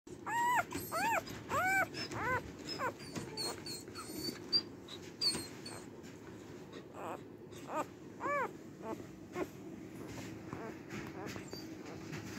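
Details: Cardigan Welsh Corgi recorded on 29 March 2024, the day of giving birth; a run of high, arching whines and whimpers, some rising then falling, among soft clicks and rustling, with quieter stretches between bursts.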